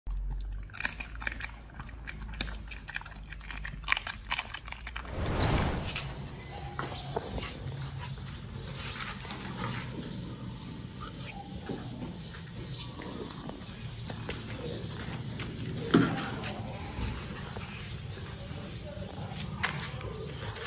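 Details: Two dogs, Oli and Nomy, eating raw meat on a prey-model raw diet as a New Year meal recorded January 1, 2023; wet, irregular crunching and tearing bites with sharp clicks, a louder smacking burst near five seconds, steady low background hum.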